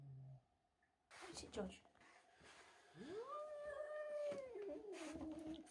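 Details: A house cat named George, angry at a young kitten named Milo who came into the house and stole his tuna, gives a long drawn-out yowl that holds steady then slides downward, after some indoor bumps and rustling.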